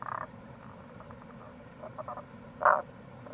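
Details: Recorded in April near a gorge on the Kamo River in Itoshima, Fukuoka, Japan, a wild Tago's brown frog gives a short croak, then quiet clusters of rapid ticking pulses, then a loud abrupt croak, all against a low steady rumble.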